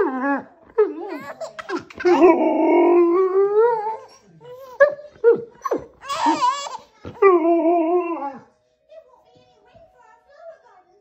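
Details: A Siberian husky lying on a grey-blanketed bed next to a baby howls in wavering, voice-like bursts that slide up and down in pitch.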